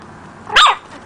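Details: Single sharp, high bark from a pet puppy learning to bark, brief and clear against a quiet indoor background.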